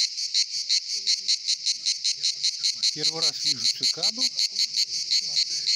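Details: Singing cicadas at the Pitsunda resort, Abkhazia, in summer: a loud, high, rasping buzz pulsing steadily, with people briefly talking; a speaker says it is their first time seeing a cicada.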